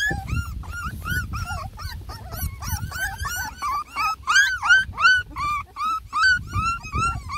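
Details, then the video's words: First meal for a litter of ten Beagle puppies at three and a half weeks: insistent, fairly regular high whining cries, nearly three per second, each a short rising-then-falling squeal, over low thumping background noise. "A lot of COMPLAINING!! Ten BEAGLE PUPPIES give food a try for the first time!"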